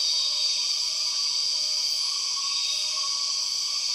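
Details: Steady, sharp insect whine fills the Borneo jungle as empress cicadas call, unchanging in loudness, with faint low whistles underneath.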